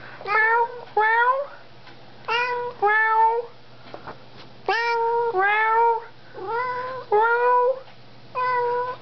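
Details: Buckwheat, a pet cat, meowing at her owner during an evening chat indoors: repeated harmonic meows, some rising then falling, in pairs about every second with short pauses, a man's voice talking between them.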